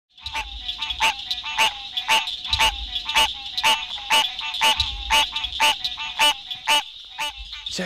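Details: A male green tree frog (Hyla cinerea) gives loud, nasal honking calls about twice a second at night in breeding season, calling to attract a mate on a rainy evening in the Sandhills.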